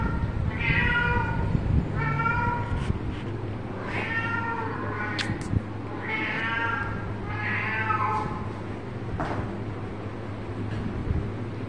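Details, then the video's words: Pet cat playing with its mummy, giving repeated short meows, each a harmonic, slightly bending cry, spaced roughly one to two seconds apart, over a steady low hum with a few faint clicks. "My Cute 😍 cat playing with mummy , cat funny video"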